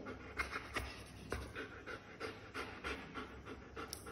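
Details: German Shepherd dog panting softly while doing a shake-hand trick, breathy puffs repeated about every third of a second against a low background hum.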